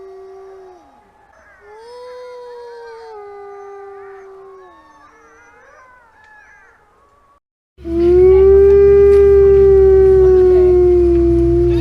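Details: Arctic wolf from the Arctic regions of North America: faint distant howls with wavering and falling tones, then a loud, close, steady howl over a deep rumbling background.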